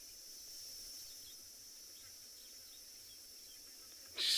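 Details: Cicadas in summer at Tswalu Kalahari Reserve, South Africa, during a sunrise safari drive on 28 October: a thin, unbroken high-pitched drone holds steady throughout, ending in a sudden loud noise burst.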